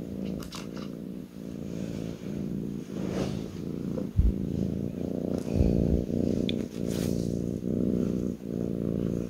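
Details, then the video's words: A kitten purring while lying on a person's lap indoors, a steady low rumbling purr pulsing in regular breaths roughly every second, with a few soft rustles and handling bumps in between. "kitten purring on my lap"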